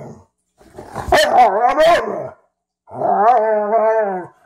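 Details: Domestic dogs Ziah and Jacque, a Frenchton and a Rhodesian ridgeback, playing together for the first time. Two long, wavering, harmonic growling vocalizations, each rising and falling in pitch, separated by a short silence.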